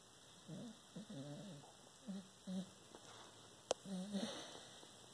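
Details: Obi Juan, a dreaming corgi, showing rapid eye movement and a twitching snout in sleep, gives soft low snuffling snores in short bursts about every half second to second, with brief gaps and a faint click near the end.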